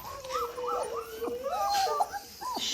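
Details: German Shorthaired Pointer puppies whimpering indoors: several high, wavering whines overlap, bending up and down in rapid succession without pause, with a faint hiss behind them.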